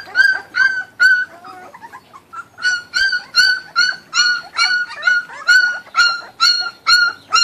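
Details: Kuvasz puppies, a litter from 2013, eating raw food. High, tonal whines and yips come in a steady run of about two per second, each a short falling note, in a small indoor space.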